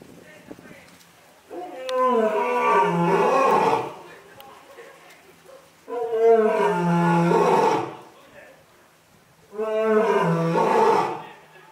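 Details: Young lion at Asahiyama Zoo, Japan, filmed in October 2021 while active and playing. Three long, harmonic-rich roaring bouts, each about two seconds, separated by short pauses, with deep tones underneath a bright upper band.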